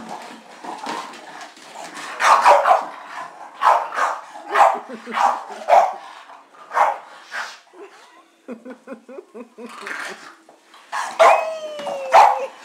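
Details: Izzy, an English Bulldog, breakdancing and chasing feet lets out a rhythmic series of gruff, barking grunts about every half second. A stretch of softer snuffling clicks follows, and high, whining yelps rise near the end.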